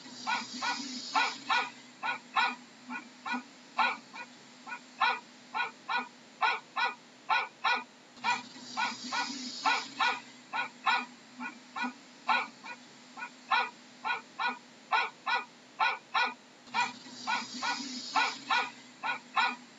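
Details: Dog barking in a long, steady series of short, sharp, harmonic-rich barks, roughly two per second with brief pauses, over a constant background hiss.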